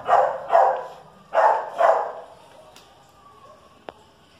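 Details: Chihuahua and dachshund in a standoff: two pairs of short, harsh barks in quick succession, then quiet with a faint click.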